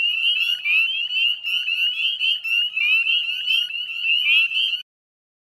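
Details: Northern spring peepers calling at dusk, 9:08 p.m. on 18 May 2020, at the Chezzetcook salt marsh wetlands, West Chezzetcook, Nova Scotia, Canada. A dense chorus of many overlapping high, sharp upslurred peeps forms a continuous shrill ringing, with fainter peeps layered behind.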